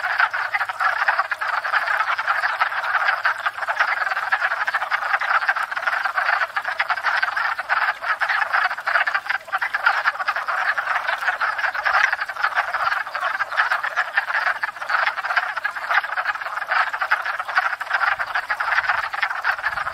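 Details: Spring breeding chorus of many wood frogs at a pond, where they come to court and breed after thawing; a steady wall of rapid, clucking croaks overlapping without pause for the whole stretch.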